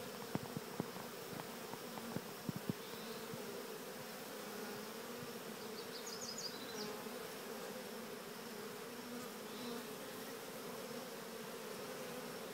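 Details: Continuous buzzing hum of a honeybee swarm being guided to walk into an early experimental Cathedral Hive, with scattered sharp clicks early on and a brief high bird twitter around halfway.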